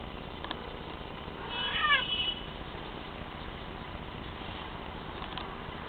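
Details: Teddy, a young Bengal cat, gives a single short meow on his first time, a harmonic cry bending downward near the two-second mark over a steady low engine-like hum.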